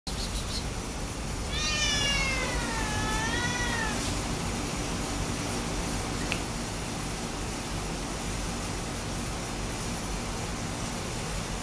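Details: Young neutered male Domestic Shorthair cat, about one year old, at an animal shelter awaiting adoption, giving one drawn-out wavering meow that rises then falls, over steady loud background hiss and hum, then only noise.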